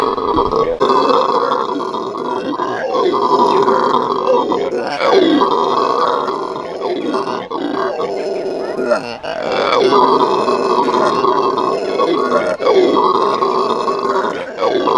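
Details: Venezuelan red howler monkeys in a zoo giving their morning howl: a loud, continuous roaring chorus with layered rough tones and surging swells, the volume rising and falling every few seconds.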